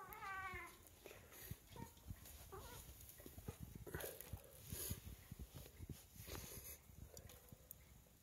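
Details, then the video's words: A female Siamese cat, smelling sea fish, keeps giving clear, wavering meows to beg for it, followed by clattering noises. "Siamese cat needs seafish"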